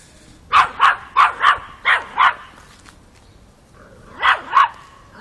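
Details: Miniature Pinscher puppy, five months old, facing off with a mature cat in Kiev, Ukraine, October 2013: sharp, high-pitched yaps in quick pairs, three pairs in a row, a short pause, then one more pair.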